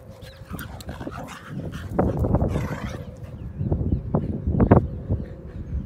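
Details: Tibetan Terrier and Jack Russell Terrier at play in Morden Park, giving short, sharp gruff bursts and snorting barks, spaced irregularly, with louder clusters in the second half over a low outdoor rumble.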